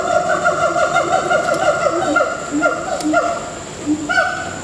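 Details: Captive gibbons at Singapore Zoo giving loud, clear, tonal hoots that rise and fall in a rapid series, with bright harmonics and steady background hum.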